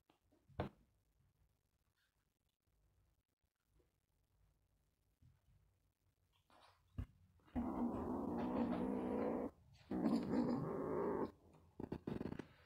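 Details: Male kitten on a farm growling to guard his toy, dog-like: two sustained low, rough, rumbling growls of about two and three seconds in the second half, after quiet stretches with a few soft clicks.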